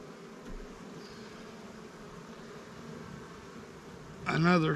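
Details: Honey bees drone steadily at a Langstroth and Warre apiary during resource sharing for new swarm hives, and a brief human voice cuts in at the end.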